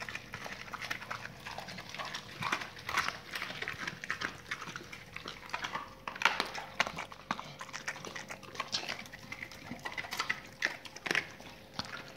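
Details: Dogs gnawing raw meaty salmon bones and raw chicken carcasses: steady, irregular crackling and snapping bites continue throughout, with a few louder cracks near the middle and a faint steady hum underneath.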